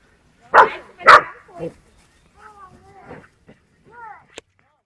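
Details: Yapping dog pestering a cow that tries to drive it off, filmed in 1969. Two loud sharp barks are followed by a softer bark and then thin, wavering whines that trail off.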